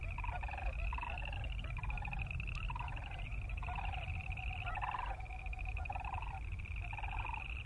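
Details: Boreal chorus frogs keep up a continuous high pulsed trill. Louder rattling bursts of another caller break in at a lower pitch every second or so, over a low background rumble.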